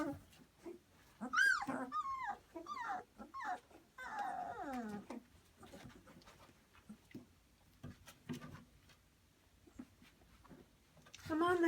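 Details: Pyrenean Mastiff puppies, two and a half weeks old, in a whelping box, give thin, high, wavering whines and squeals in quick bursts, several overlapping at once, then quieter shuffling and soft sounds before a woman's voice coaxes them indoors.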